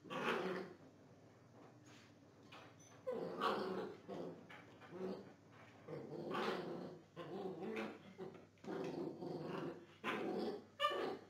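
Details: Belgian Tervuren during gun training makes rough, growly vocal bursts about once a second, with harmonic rasping and a few sharp high clicks between them, over a steady low hum.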